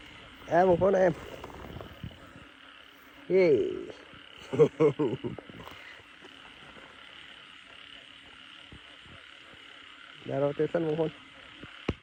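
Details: Frogs in a paddy field at night after heavy rain: scattered bursts of throaty, wavering croaks separated by long gaps, set against a constant faint high-pitched background chorus, with a sharp click at the end.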